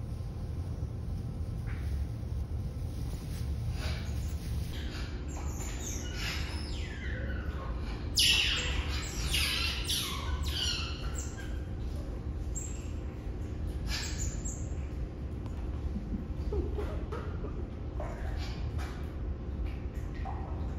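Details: Six Asian small-clawed otter pups, two male and four female, born November 18, 2021 at a zoo, give shrill, chirping squeaks that sweep downward over a low steady hum.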